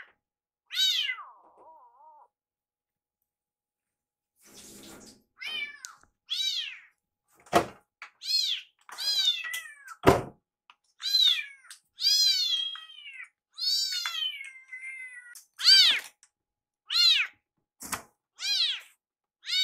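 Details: Rescued kitten named Iru, known for a meow that sounds like "iru", crying again and again to hurry food preparation in the kitchen; a long series of loud, high, harmonic meows, several falling in pitch, between soft knocks and thumps.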